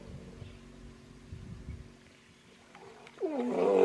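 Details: Aggressive hippopotamus in Kruger National Park: low snore-like grunting rumbles early on, then a loud harsh wheezing, honking roar rising in the final second.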